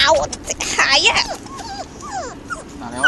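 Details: A noisy litter of stray puppies at a construction site asking for food, crowding the air with rapid, falling, high-pitched whimpers and yips, and human voices mixed in.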